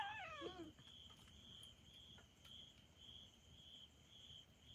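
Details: Furious pet kitten, left alone after skipping a week-long trial that was cut to two days, lets out a short harmonic cry that slides downward and breaks off within a second, over a steady pulsing cricket chorus and faint household noises.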